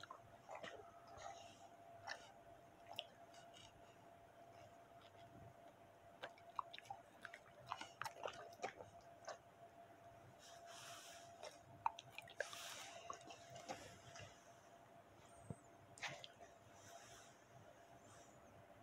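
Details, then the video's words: Bully dog eating steak, close-up ASMR recording: dense wet chewing and crunching with sharp biting clicks scattered throughout, louder squishy bursts in the second half, over a faint steady hum. "ASMR Bully/Dog eat Steak"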